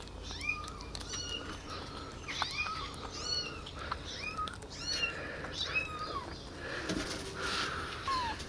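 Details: Several abandoned baby kittens rescued from a street and housed in a warm basement, mewing while walking and being fed milk by syringe; a steady stream of short, high, bent mews, some sharply rising, with a brief rustling burst near the end.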